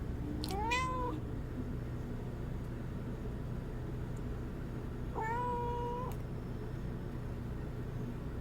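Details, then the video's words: Domestic cats: a rarely heard cry from an odd-eyed cat, two drawn-out meows, the first rising then falling, the second long and level, about four seconds apart over steady low hum indoors. "오드아이 고양이 아미 울음소리"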